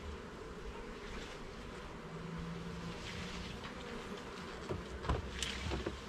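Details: Garden beehive opened for inspection, honey bees giving a dense, loud humming drone that thickens low in pitch, with a brief steady tone near two seconds and crackling handling noises toward the end.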